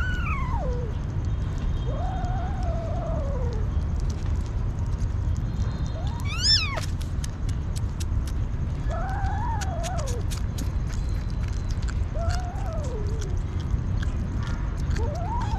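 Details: Hungry street kitten meowing: falling and arched cries spaced a few seconds apart, one short sharp high squeal, with a low rumbling background and faint clicks.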